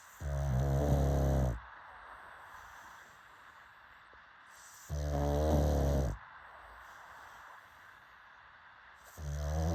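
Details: Pug snoring in deep, rumbling bursts rich in low harmonics, each lasting over a second, three breaths spaced about four seconds apart with quiet pauses between.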